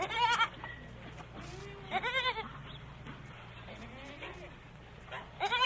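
A goat gives three quavering, nasal bleats: one at the start, one midway and one at the end, each about half a second long, over a low steady hum.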